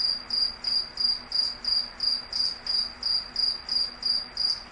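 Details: Cricket giving a regular run of bright, high chirps, roughly three each second, evenly spaced over a soft low background hum.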